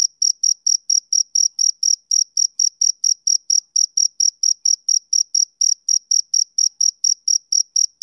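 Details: Summer-evening song of a male cricket: clean, shrill chirps repeated evenly about three times a second throughout, against a silent background.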